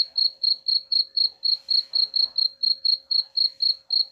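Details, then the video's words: Cricket chirping, a sound meant to drive away rats: a high, pure, ringing chirp repeated evenly about four times per second throughout, with a faint steady low hum beneath. "suara jangkrik pengusir tikus ampuh"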